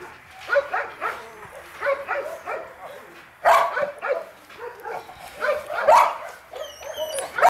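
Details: Eight-week-old puppies of the H litter, two males and two females, at play; bursts of short, high yips and small barks come in uneven clusters, loudest in the middle, with thin whining tones rising near the end.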